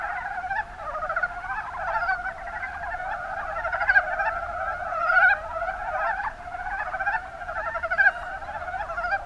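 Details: Chorus of Mountain brown frogs, Rana ornativentris, recorded in Japan's Kuma Basin, Kumamoto: many callers give fast rattling, chuckled croaks that blend into a steady murmur, with brief louder notes standing out every second or two.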